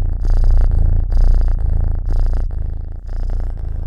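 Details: Purring pet cat recorded close-up for a Halloween purr test, a strong low rumble rising and falling in breath cycles roughly every second.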